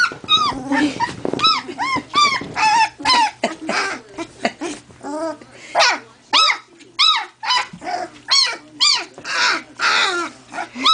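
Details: Two-week-old collie puppies that have just discovered each other, one female trying out her voice: a rapid series of short, squeaky, arched yelps and whines, about two per second, some overlapping, with brief growly bursts between.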